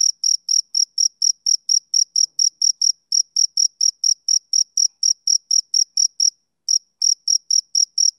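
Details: Rhythmic high chirping of a male cricket, short bright bursts repeated several times a second. A brief half-second pause comes before the steady series resumes, with no other sounds.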